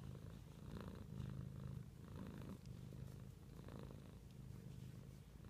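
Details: Gentle, low-pitched purring from a pet cat, even rhythmic cycles roughly every second, in a quiet setting.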